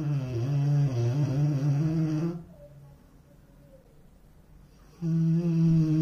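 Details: A sleeping Rottweiler snores with a deep, droning rumble, breaks off for a quiet pause, then starts again; the dog also runs in its sleep.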